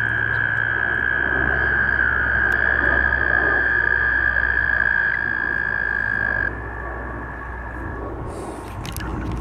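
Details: Mating American toads, northern New Jersey: a loud, steady high trill lasting about six and a half seconds, a fainter overlapping trill continuing briefly after, then quieter background with a few clicks.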